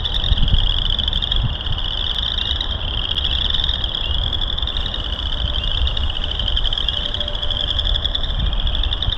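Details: A dense frog chorus in March at Burr Reed Marsh, Morton Arboretum, heard during a hike: a steady, high, shimmering trill of many overlapping voices, with wind.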